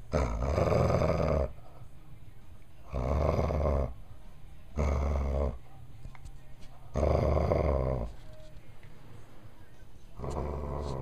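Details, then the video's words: A dog grumbling as it plays with two yellow tennis balls held together with electric tape; low rumbling growls in bursts of about one to two seconds, repeating every two to three seconds. "Getting your grumble on"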